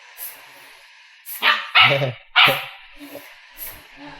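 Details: Two pet dogs, a Labrador and a German Shepherd puppy, react to air from an air pump. Several loud, harsh barks come in quick succession mid-clip, with laughter and Tamil speech around them.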